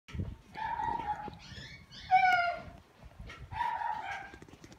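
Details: Male Shiba Inu whimpering: drawn-out, nasal whining tones, each about a second long, with a higher, wavering whine in the middle and a final steady whine, over faint low thumps and rustling.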